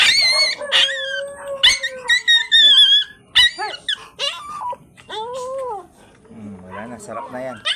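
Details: White teacup Pomeranian stud male during his first stud session in Mangaldan, Pangasinan; loud, high, tonal whines that slide up and down in quick succession, ending in lower, wavering whimpers, with music faintly behind.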